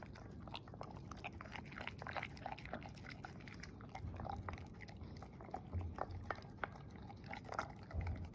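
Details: Female English Springer Spaniel eating her dinner of kibble and cooked beef indoors, wearing a snood to keep her ears out of the bowl; irregular crisp crunching and clicking bites with soft wet chewing and low thuds throughout.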